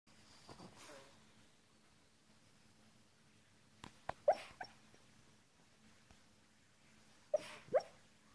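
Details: Boston Terrier asleep and dreaming, apparently of birds and squirrels from his walk, gives soft breathy huffs and muffled little woofs in two pairs, otherwise quiet indoors with a faint steady hum.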